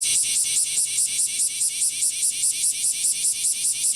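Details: Male kumazemi cicadas (bear cicadas) singing in a lively summer courtship chorus in Fukuoka City, Fukuoka Prefecture, Japan, on 11 July 2022; loud, harsh high buzzing pulsed in rapid regular beats, roughly two to three per second, throughout.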